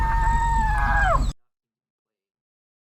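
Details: An African savannah elephant gives a loud tonal roar, a clear harmonic call with little noise that drops in pitch at the end.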